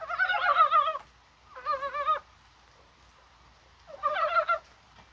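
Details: On a rainy, springlike 21 January day, Korean brown frogs call, probably while spawning: three loud bursts of wavering, rapidly pulsed croaks, each under a second, separated by brief silences.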